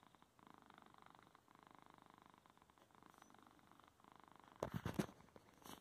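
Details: Male pet cat purrs indoors while interfering with his owner's typing at home; soft, fast pulsed rumble for several seconds, then loud rustling contact noises at the end.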